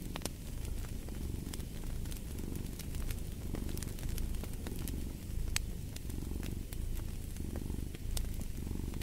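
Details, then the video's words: Close, rumbling purr of a cat, slightly stronger here, swelling and fading in regular breath cycles, with bright intermittent crackles of a fireplace in the background. "Fall asleep to the Purring of a Cat & Fireplace"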